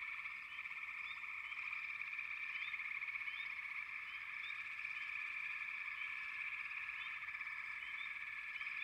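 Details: Many frogs call together, giving an unbroken shrill trill. Brief rising notes pop out repeatedly over it at an even, busy pace. Nothing else is clearly heard.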